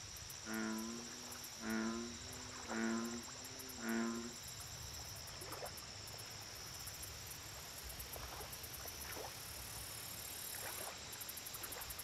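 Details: Four deep, buzzy bullfrog croaks at a lake, evenly repeated about once a second. Then comes quieter background with faint clicks and a constant high-pitched insect drone.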